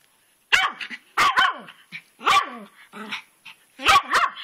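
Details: Pet dog named Twitch barking at a rock in a rainy garden flower bed, jumping back and forth; a run of sharp, loud barks in clusters of two or three, some with a harmonic, whining tail.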